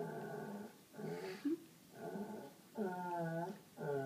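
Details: White Labrador Sadie, aged seven, begging for attention indoors while urging the pug Holly to play: four sustained, wavering, nasal whines, each under a second, separated by brief gaps, with a faint squeak midway.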